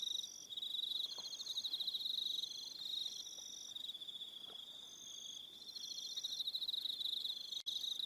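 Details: Evening cricket chorus on Aroha Island, New Zealand, with many insects producing steady high-pitched pulsed trills that overlap and alternate, a brief click near the end, no other clear sounds.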